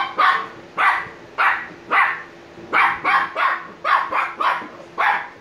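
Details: Shiba Inu pups Niro and Kyno, 86 days old and drowsy, bark repeatedly: loud, bright, slightly hoarse yaps, some single and some in quick pairs, about ten in five seconds.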